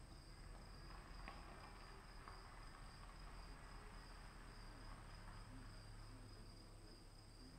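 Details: Crickets calling in the rain: a steady, unbroken high-pitched trill sits in two thin bands the whole time, above a wash of rain noise and a low droning hum like a distant vehicle or train.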